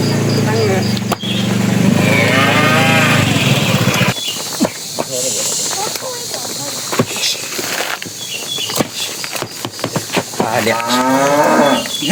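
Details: Tame cattle walking toward their pen, a bull calling to the cows: a long low moo opens, then a harmonic lowing call near the end, with rustling, thuds and movement noise in between.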